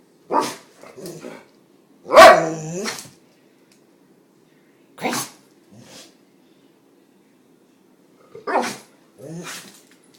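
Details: A dog named Kramer barks indoors, a habit that triggers his sneezing fits. A series of short, explosive barks comes at irregular intervals, mixed with quieter huffs, and ends with a pair of bursts near the close.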